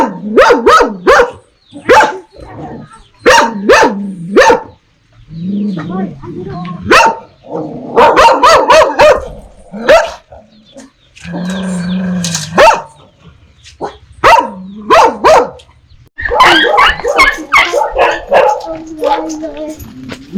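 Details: Irregular clusters of loud, harsh dog barks with brief whining, yelping notes and gaps, several animals overlapping; part of a set on dogs barking ferociously at strangers and puppies barking on meeting familiar people.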